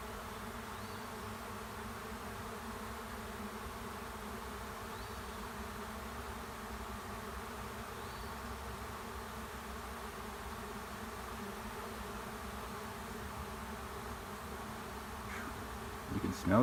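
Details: Many honey bees of a swarm taking over an empty hive on a driveway: a long, steady, low buzzing drone that barely changes, ending in a short sharp clatter.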